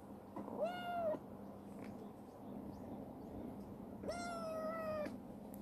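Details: Rescued black female stray cat, now sweet and tomboyish, running about a warehouse, gives two long level meows about three seconds apart, the second held for a full second, over a faint constant hum.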